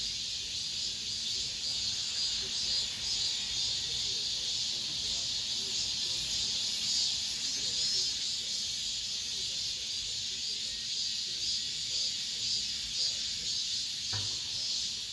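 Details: Cicadas singing at the end of summer inside an apartment complex: a dense, unbroken high-pitched buzzing chorus with a gently pulsing swell, holding steady throughout, with a brief sharp click near the end.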